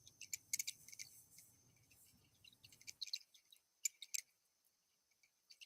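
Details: Little brown bat (Myotis lucifugus) in Canada, echolocation calls made audible by a detector as rapid, irregular ticking clicks and sharp chirps, used to judge distance, size, texture and movement of objects and insects.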